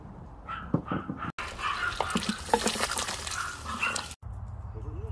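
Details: Dogs outdoors with people cooking over an open fire; several short rising whines and yelps, then a loud burst of broadband noise with more yelps mixed in.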